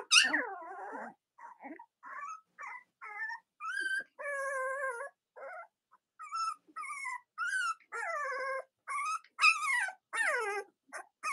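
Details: Cavalier King Charles Spaniel puppies filmed on a split-screen live stream on a chilly autumn Monday morning, making a loud opening squeal followed by many short whimpers and falling whiny cries, closely repeated.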